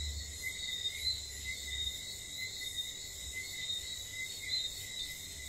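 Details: Whistling frogs at night in St. Lucia, short high peeps scattered over a thick, even insect drone and a low rumbling background.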